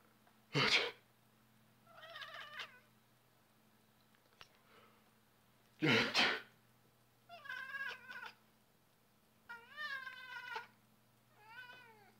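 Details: A male Balinese cat, who dislikes people sneezing, gives a string of complaining meows after loud human sneezes.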